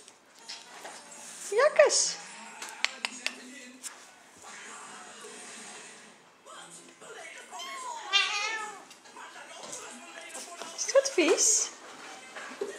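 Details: Thai Siamese kittens squeaking while getting their first deworming treatment: sharp high rising mews in short bursts, a wavering cry near eight seconds, between a woman's soothing Dutch words.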